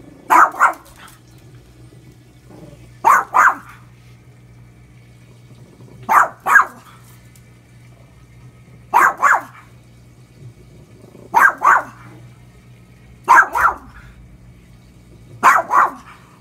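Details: Pet dog Lucy barking at the washing machine, her daily nemesis: paired sharp barks, double-pulsed, repeated every two to three seconds over a steady low machine hum.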